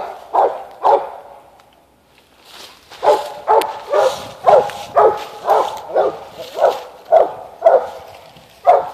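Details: Mountain Cur pup, eight months old, treeing an animal up on a limb; sharp barks repeated about twice a second in steady bursts with a short gap, echoing outdoors.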